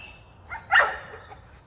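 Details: Single abrupt, strained bark from an American Pit Bull Terrier wanting to chase rabbits outdoors, preceded by a soft yelp and fading quickly into quiet.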